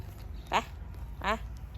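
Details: Female stray dog named Panda in Ubon, Thailand, as her very dirty, torn winter coat is taken off: two short, tonal yelping whimpers about three-quarters of a second apart over a low background hum.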